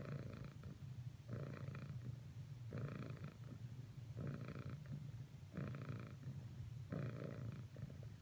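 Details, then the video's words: Purring domestic cat, Cricket, persisting in cuddling attempts with Whisper; deep steady rumble with strong rhythmic breath pulses recurring about every 1.4 seconds. "Cricket's last few attempts at cuddling with Whisper failed. Nevertheless, she purrsisted."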